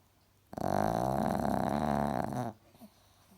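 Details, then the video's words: Asleep indoors, Alfie the cross-eyed Chihuahua gives one rough, raspy snore lasting about two seconds, with fast fluttering vibration throughout, followed by near silence. "snoring chihuahua"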